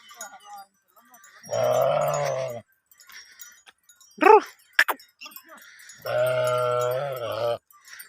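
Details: Bleating from a sheep herd at mating time: two sustained, nasal, wavering bleats, each over a second long, separated by brief sharp yelps, with soft chime-like tones faintly heard in between.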